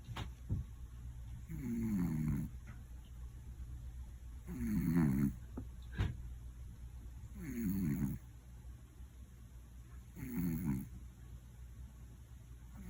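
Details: Koron, a one-year-old male Scottish Fold cat, napping at home and snoring loudly: rough, buzzy low snores roughly every three seconds, each a long grating breath with quiet pauses between, plus a few soft clicks.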